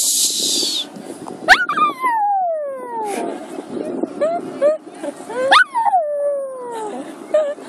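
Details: A pet Maltese dog howling from separation anxiety indoors: long high whining howls that slide downward, two main drawn-out howls with shorter wavering whines between, plus faint household noise.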